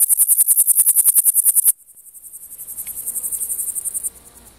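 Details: Male Frivaldszky's bush cricket (Pholidoptera frivaldskyi) singing in sun, 5 July 2023, Oleksandrivka, Kirovohrad Oblast, Ukraine: a fast train of high, dry, ticking pulses fading to softer pulsing.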